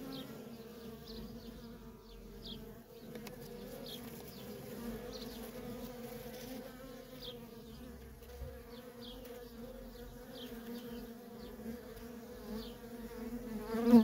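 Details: Worker honey bees in nonstop traffic at a feral colony make a steady, droning hum with a low fundamental and a clear overtone above it, holding even throughout. Faint short descending high chirps recur in the background.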